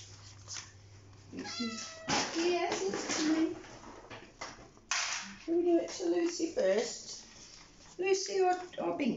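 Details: Rescue cats at breakfast time calling indoors: several short, rising-and-falling meows, some repeated in quick pairs, mixed with a person talking over them.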